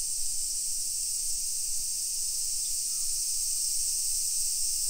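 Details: A dense, even, high-pitched cicada buzz fills a summer afternoon, 1 PM on 28 July 2021, in a hillside neighborhood of Nisshin, Aichi Prefecture, Japan, with only faint low background noise beneath it.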